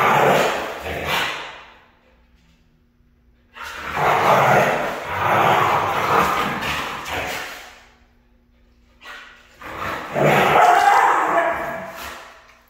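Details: A red female Siberian husky lets out three separate rough, wavering yowling runs, each lasting a few seconds, with near-silent pauses between them.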